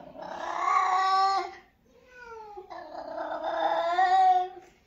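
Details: Two prolonged cat meows, the first steady and loud, the second starting softly with a falling note before swelling into a strained, rising-and-falling wail; clean indoor recording.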